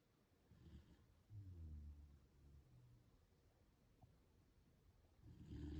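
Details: Corgi asleep and making funny faces, snoring in deep, low rumbling breaths, several drawn-out grumbling snores, the loudest near the start and another building at the end, in a quiet room.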